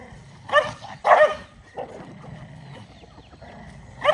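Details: Dogs gathered to eat rice, with two loud barks close together near the start, a softer yelp, then a quiet stretch of low rumble before another bark at the end.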